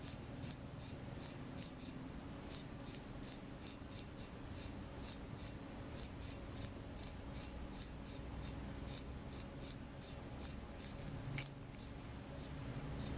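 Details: At night, a cricket chirps steadily in a high, thin, ringing tone, about two to three chirps per second, with brief pauses between runs over a faint low hum.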